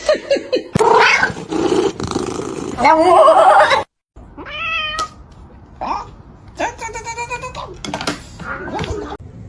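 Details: Cats fighting, from a comedy compilation: a run of wavering, strained yowls and meows that rise and fall, broken by a short silence, with people talking over parts of it.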